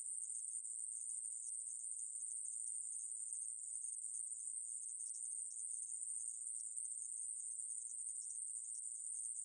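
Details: Unbroken high-pitched hissing buzz of a conehead katydid (애매부리) in a 2020 recording from the National Institute of Biological Resources, steady in loudness and pitch throughout, with nothing else audible.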